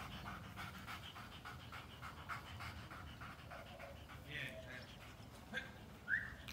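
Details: Rapid rhythmic panting from a Belgian Malinois, soft airy bursts repeating through the clip, with a short human voice and a brief squeak near the end.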